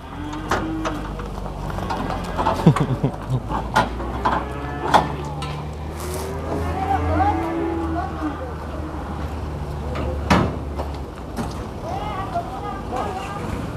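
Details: Cattle at the Prambanan cattle market, low harmonic moos rising and falling several times amid busy market noise, human voices, clatter and a passing vehicle.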